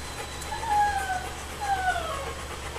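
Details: Alaskan Malamute puppies, 2 1/2 weeks old, nursing, summer 2014 litter; two thin, drawn-out whines that slide downward, over a steady low hum.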